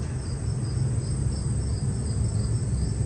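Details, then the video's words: Crickets chirping at night, 11:50 p.m., in the Central Park area aboard a cruise ship in February; rapid high pulsed trills repeating over a loud low rumble of ship and ventilation noise. "They have like these crickets chirping you can hear."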